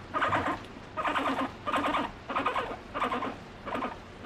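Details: A female guinea pig seeking affection from her owner gives short, pulsed squeaking bursts, repeated roughly every second.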